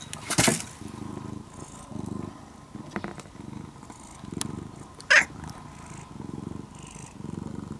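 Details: Steady purr from a brown-and-white former stray cat, now tame and living almost as a house cat, pulsing in soft low waves about every second, with one sharp tap near the start and another click later.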